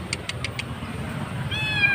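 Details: Lone kitten crying loudly beside a road, apparently left behind by its mother or dumped, found during a roadside rescue; a few sharp clicks come first, then a high, harmonic-rich, slightly falling meow over steady low traffic rumble.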